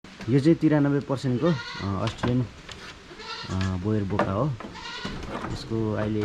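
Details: A 93% Boer goat on a goat farm in Jhapa, Nepal, bleating in a series of quavering, wavering calls, several close together at the start and more after short pauses, with low background noise.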